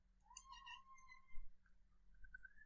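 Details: A domestic cat indoors, heard in the background of a room while a person talks: one drawn-out meow that rises then levels off, followed by a softer, higher second meow about a second later, with a steady low hum.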